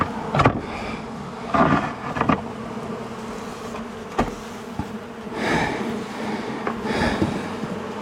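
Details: Angry honey bee colony, long established inside a house wall, droning during a cutout rescue on March 6 after dark: a steady low buzz throughout, broken by sharp knocks and thumps of wood being pried loose.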